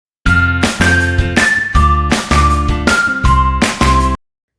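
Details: Bright, jingly children's music with steady bell-like tones and a bass line; no animal voices.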